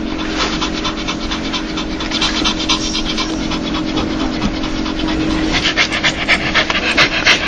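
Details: Joyful dog producing a laughing pant: fast breathy exhalations, near four each second, growing louder toward the end, with a steady low droning tone beneath.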